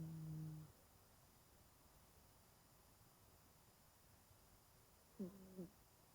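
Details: Genki-kun, a 20-year-old cat, snores while curled up and sound asleep indoors. A low, nasal, humming tone opens the recording, then a long quiet gap, then two short squeaky breaths near the end.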